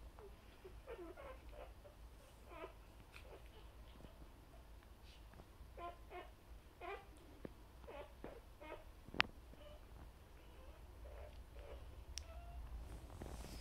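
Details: Newborn Vizsla puppies, a litter born that morning to Tilly, heard just after midnight as their mother cleans them indoors; faint, brief high squeaks and whimpers come in scattered bursts from several pups over a quiet room hum.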